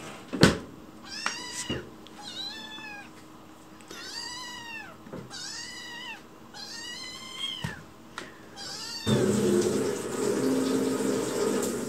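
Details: Rescued white kitten Chicchi pleads for food indoors whenever someone is in the kitchen. A quick run of five or six bright, bending meows comes roughly once a second, followed after nine seconds by a steady loud rushing noise.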